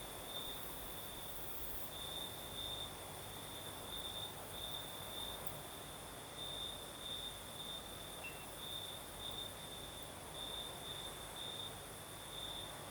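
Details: Crickets singing at night in the south of Crimea with a night breeze: a steady high trill pulsing in short bursts about every half second over soft broadband wind hiss.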